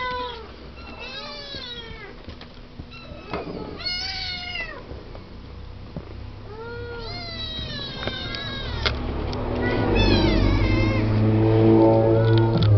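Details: Siamese kittens seven weeks old, born to Misty and Willow, talking and playing in their pen; a run of high, falling meows repeats quickly, several voices overlapping, with a low rumbling noise swelling toward the end.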